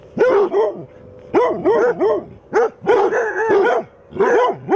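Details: Basset hounds, eight in the pack, barking at a mechanical Halloween cat set up as a decoration; deep, drawn-out baying barks with rising and falling pitch, several voices overlapping in bursts about every second.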